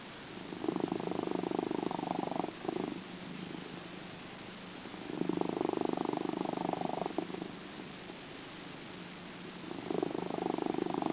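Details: Kalohe, a sleeping cat at House of Dreams, gives a loud rhythmic purring snore. Strong rumbling surges of about two seconds alternate with softer lulls in a steady breathing cycle.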